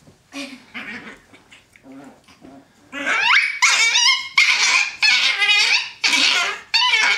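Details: Brown and black pet Chihuahuas roughhousing on a bed; softer low grumbles and short yips at first, then loud, shrill yapping barks repeated about every half second, with a person urging them on.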